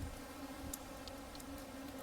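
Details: Many bumblebees hum together in a steady, low, droning buzz, swarming around a bumblebee trap full of them on a hike in Historic Blakeley State Park.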